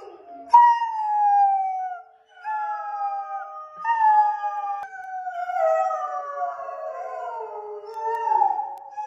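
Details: Borzoi. A Borzoi gives a drawn-out howl, each note held and sliding slowly down in pitch before a fresh one starts. Toward the end the tones overlap and waver, like two howls weaving together.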